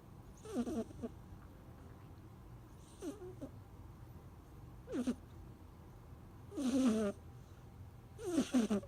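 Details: A snoring kitten gives short, rasping, buzzy breaths at uneven intervals, five bursts in about nine seconds, the last two louder and harsher, with a faint low background hum.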